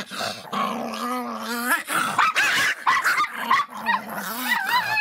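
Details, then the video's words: Miniature Pinscher Faisca, worked up and aggressive, snarls with a continuous wavering growl that breaks into harsh, rising barks and yelping snaps throughout. "latidos de pinscher miniatura bravinho (faisca)"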